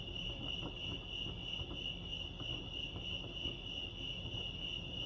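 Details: At Lake Arrowhead in California, crickets keep up a continuous high-pitched trilling chorus that pulses gently in loudness, over low background rumble.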